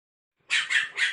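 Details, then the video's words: A snow-white spitz puppy protests at being placed on a height against its will with three quick, bright, yappy barks in rapid succession after a moment of silence. "Puppy angry when put on a height"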